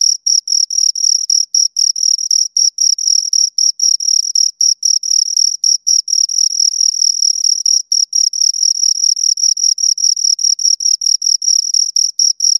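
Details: Two crickets keep up an almost unbroken high trill made of rapid scraping pulses, brief gaps now and then, about four chirps a second; no birds, wind or people heard.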